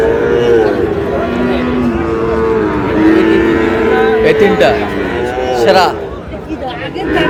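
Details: Sahiwal bull calves at Ambari cattle market, Manikganj, on 14 August: several overlapping drawn-out moos with steady and slightly falling tones, set against constant crowd chatter, bargaining voices and shouting.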